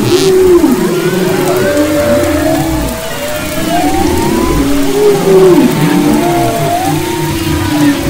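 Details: Humpback whale song off the west coast of Maui, February 2011: drawn-out wavering moans and rising-falling whistled sweeps, several voices overlapping, with a constant low underwater rumble.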